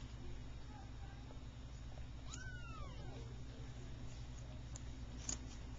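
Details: Persian kitten, one of three three-week-old kittens (two red and white, one cream and white) from a calico mother, just starting to play; a single thin rising-then-falling meow over a steady low hum, with faint clicks.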